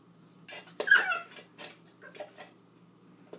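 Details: Female husky/poodle mix puppy, eight weeks old, at play with her dish: one sharp, high yelp that slides downward, then a few faint squeaky grunts amid light clattering.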